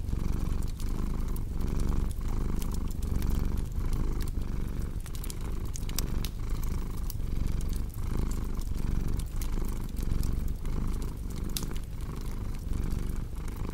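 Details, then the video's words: Purring cat beside a crackling fire, a low, unbroken rumbling drone that swells and eases with each breath, overlaid by frequent bright crackles and small pops from the fireplace. "Purring Cat with Cozy Crackling Fireplace Sound"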